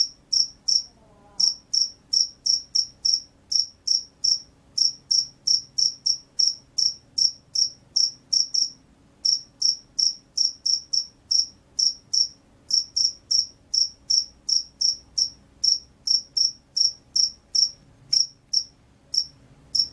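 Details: Field cricket, described as a loud, vigorous singer, giving sharp high-pitched chirps in rapid series of about two to three per second, with a few brief pauses; a faint low hum underneath.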